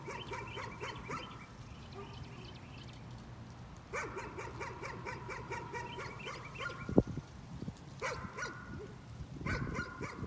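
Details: Nuisance barking from a dog, heard as several bouts of fast, sharp, evenly repeated yaps separated by short pauses, with a single loud click midway through and a low steady hum underneath.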